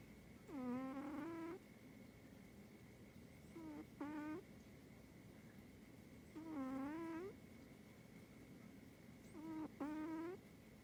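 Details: Bori, a pet cat, snoring: four drawn-out, nasal, slightly rising tonal snores, each about a second long, returning every two to three seconds, with a steady faint high whine in the background.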